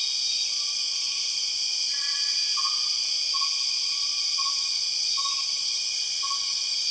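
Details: Empress cicada in the Borneo rainforest: a steady, piercing high insect drone in layered bands, with short whistled notes near one pitch recurring about once a second underneath.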